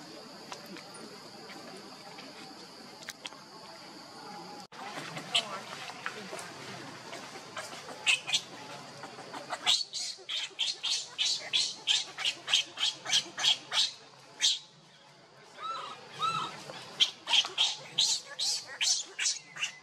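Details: Baby monkey Leo, hungry and crying to beg its mother for milk: quiet rustling at first, then a rapid run of shrill, high-pitched squealing cries, about three per second, pausing briefly before resuming.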